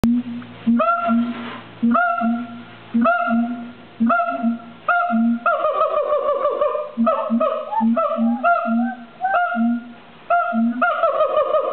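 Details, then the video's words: A siamang, a black-furred gibbon with an inflatable throat sac, calls at the LA Zoo, giving loud, honking barks roughly once a second over a low, booming hum. "Siamang's call (LA Zoo)"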